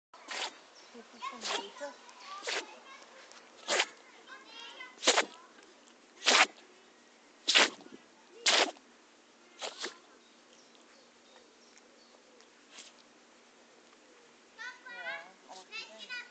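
A Chihuahua sneezes in a rapid series, sharp explosive bursts about once a second, with a person talking quietly.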